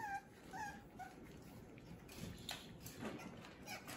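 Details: French Bulldog puppies playing indoors: a few faint, high whiny squeaks and short whimpers in the first second, then mostly soft rustling and bumping of play noise.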